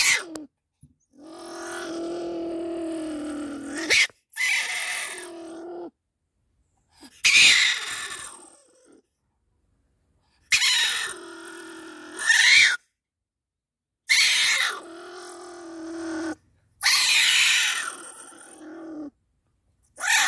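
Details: A stone marten caught in a live trap gives harsh, raspy, growling screeches in bursts of a second or two, every few seconds.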